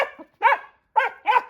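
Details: A laika in training gives short, sharp barks in a quick uneven series, barking up a tree at a caged rabbit hung overhead as practice game.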